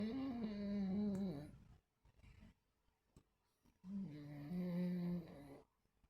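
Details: Sleeping, dreaming dogs recorded 26 August 2024 indoors in a small room: two long, drawn-out harmonic groaning snores or whines, each lasting about one and a half to two seconds, separated by a quiet pause with faint breathing.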